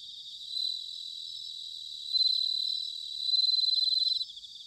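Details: Bell crickets singing in autumn, recorded in Sanuki, Chiba Prefecture, Japan: a high, ringing pulsed trill held steadily, swelling into two louder shimmering bursts toward the end, with fainter crickets trilling behind.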